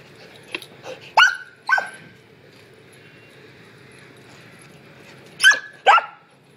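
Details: Samoyed puppy named Lumi running laps in a burst of crazy puppy energy, giving short sharp barks and yips, a few spaced clusters of two, with quiet background between.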